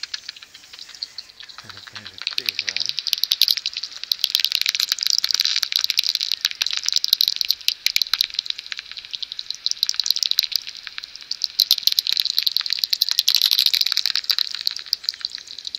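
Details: About 70 common pipistrelles swarm near their maternity roost in early morning before sunrise, producing a dense, crackling stream of rapid dry clicks like fast typing.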